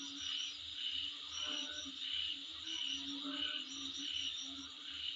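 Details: Calling insects in front of a residence: rhythmic bright chirp-like pulses, roughly one and a half per second, over a constant high buzz and soft low thumping.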